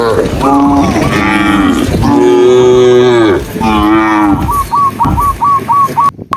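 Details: Tame cows being herded on a sunny afternoon through green countryside moo in succession, each a loud, drawn-out, rich bellow swelling and sagging in pitch, ending with a brief run of quick, higher chirping notes.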